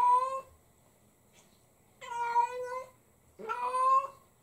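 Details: Indoor pet cat wailing in a baby-like voice because its owner is absent, venting on a hat knitted from its own shed fur; three long, rich meows separated by short silences, the last one rising and sliding.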